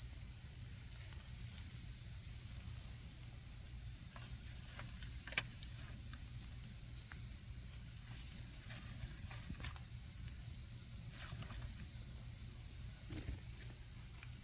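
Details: A campfire on an autumn camping night with insects sounding a sustained, steady high trill; wood pops and crackles repeatedly over a soft low rumble of flames.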